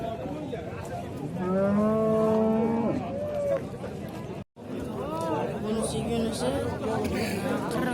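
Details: Bull at the Shahrixon livestock market in Uzbekistan giving a loud, sustained low moo with a slightly falling pitch for about a second and a half, then shorter lowing, amid men's chatter and market noise.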